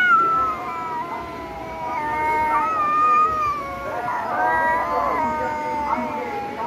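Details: A cat gives long, wavering, drawn-out meows that slide slightly up and down in pitch across the whole stretch, with one louder, rougher cry in the middle.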